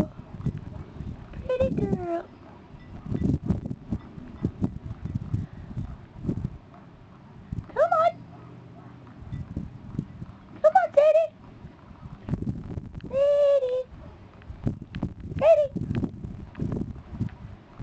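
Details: Alone and searching for her sister, the dog Sadie lets out five or six short, high, bending whines and yelps spaced a few seconds apart, with a woman softly talking to her between the calls and rustling outdoor noise.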